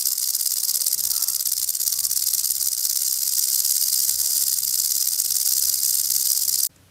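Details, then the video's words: Rattlesnake (cascavel), a venomous snake, shaking its rattle as a warning when threatened: a steady, dense, hissing buzz held for almost seven seconds, then cut off abruptly. "Cascavel Som do Chacoalho da Cascavel"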